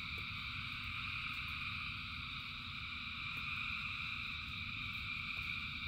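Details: Frogs calling en masse during rain, their massed trilling a constant shimmering wall of sound at several stacked pitches, with falling rain hissing and rumbling underneath.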